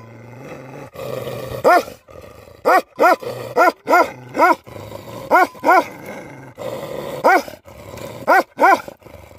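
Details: Livestock guardian dogs barking in loud, resonant, arching barks, grouped in twos and threes with short pauses, over a low rumbling background.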